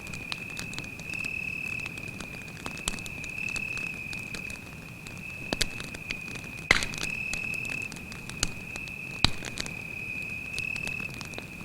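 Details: Night-time forest cricket trilling on one sustained high note for the whole stretch beside a campfire, with scattered crackles and a few sharp pops from the burning wood.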